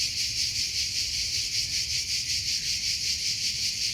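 A cricket chirps steadily, a high, bright trill pulsing in a regular beat about twice a second.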